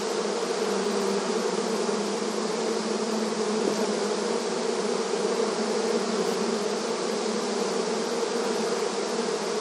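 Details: Honey bees swarming busily at a beehive entrance in a rural setting, producing a continuous layered hum: deep droning tones under a wide airy buzz, level and constant with no pauses or other sounds.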